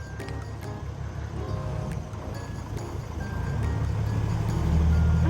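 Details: Loud vehicle engine rumble mixed with music and repeated electronic beeps, no animal sound.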